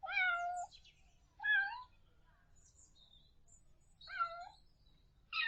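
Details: Kitten meows in a quiet room, three clear harmonic mews spaced roughly every two seconds, each short and slightly rising then falling, with a fresh meow starting at the very end.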